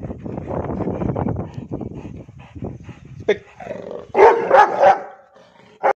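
A Rottweiler gives low rumbling growls, then a quick run of loud, harsh barks.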